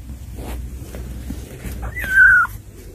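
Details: Cats visit their younger sibling kittens; after soft rustling, one loud, high, steady drawn-out mew rises briefly and then holds level before stopping abruptly.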